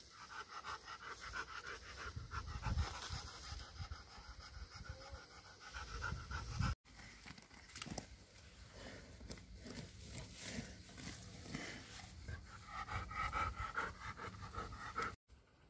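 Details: Pet dog, one of a household's Bernese Mountain Dog and Labrador, filmed over a June 2023 birthday, panting steadily in quick rhythmic breaths throughout, with soft rustling and handling noise in the background.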